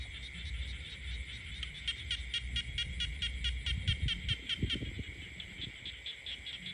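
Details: Countryside frogs calling: a quick series of sharp pulsed notes around the middle, rising in density then fading, above a constant high-pitched background hum and soft low rumble.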